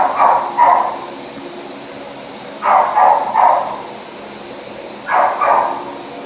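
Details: Male Husky boxer mix barking in three evenly spaced doubles, each pair of harsh, husky woofs lasting about half a second, separated by roughly two seconds of low background hum.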